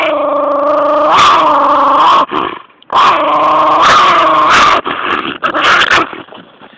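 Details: In a backyard, a small female dog guards a chunk of ice with long, continuous rumbling growls, broken by a brief pause and punctuated by short snapping barks.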